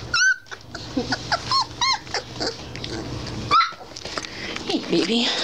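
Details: Whining, squeaky cries from three-week-old Basset Hound puppies, several arched yelps close together, with a woman greeting one pup in a soft voice between the calls.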